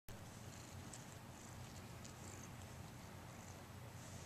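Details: A Scottish Fold kitten, playing with a dangle toy, purrs in a steady, low, rumbling drone.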